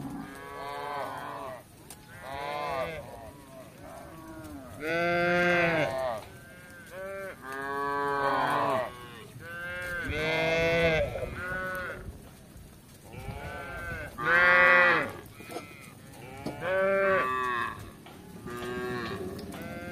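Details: Tame village cattle roaming the kampung in search of grass: many moos from several animals overlap, some short and arched, others long and rich in harmonics, coming in clusters across the whole stretch with brief quiet gaps.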